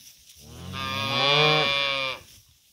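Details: A single long, full-throated moo from cattle being moved with their calves to green summer pasture, swelling to a loud middle and dropping off after about two seconds.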